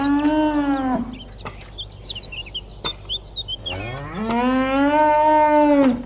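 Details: Domestic cow giving two loud, sustained moos, the first falling at its end and the second rising then holding steady, with small birds chirping briefly in the gap between them.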